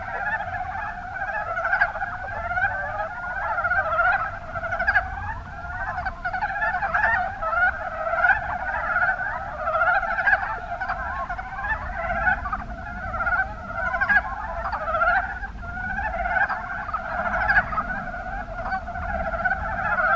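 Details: Rana ornativentris, the Mountain brown frog, in the Kuma Basin, Kumamoto, Japan: a sustained chorus of short, rapid clucking croaks, individual pulses repeating irregularly over a steady background of overlapping calls, with faint low rumble.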